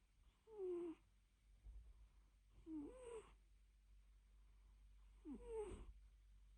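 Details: Domestic cat napping indoors, giving soft wheezy snore-like breaths with a slight whistled tone, three of them spaced about two and a half seconds apart, in a quiet room.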